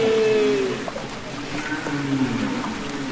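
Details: Underwater humpback whale song from Capitol Records ST-620: a long, steady, slightly falling tonal moan followed by lower droning units, over a hissy sea background with faint clicks.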